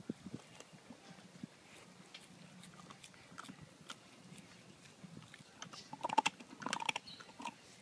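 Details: Two healthy, non-food-aggressive dogs calmly chomping bones together; soft irregular crunching and gnawing clicks, louder sharp crunches bunching near the end, over a quiet background.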